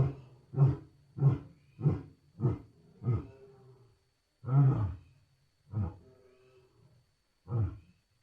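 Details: Lion grunting in a typical series: deep, breathy grunts about every 0.6 seconds, fading and slowing toward the end, with one stronger grunt mid-sequence.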